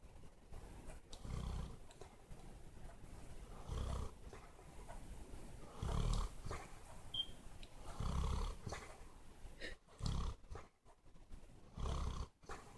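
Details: Bear, a pet dog, snores while asleep: deep, rumbling, low-pitched snores come in bursts roughly every two to two and a half seconds, with quieter breathing between them in a calm indoor setting.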